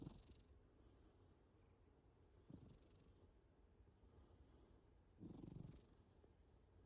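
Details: Cat snoring in its sleep, a gentle low wheezing rumble on each breath, with three clearer snorts near the start, at two and a half seconds and a longer one past five seconds.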